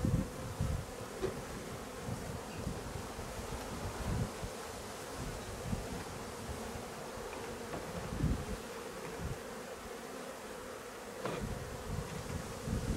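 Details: Honey bees at a drone-laying colony being replaced: a steady, droning hum holds one even pitch for the whole stretch, over low rumbling bumps and soft brief clicks.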